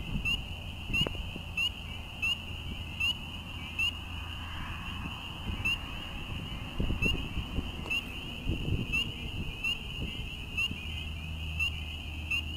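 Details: Many frogs call together in a steady, high, pulsing trill, a May breeding chorus in an urban wetland in Quebec.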